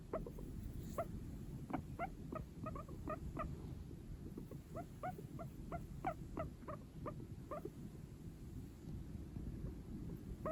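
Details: A male Sheltie guinea pig, born September 2022, gives quick runs of short, nasal squeaks over a low background rumble; the owner thinks the squeaks come through its nose, like humming.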